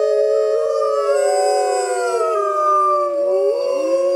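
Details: Wild grey wolves howling on a full-moon night, a few sustained overlapping voices holding steady pitches, one sliding gently down and then rising again near the end.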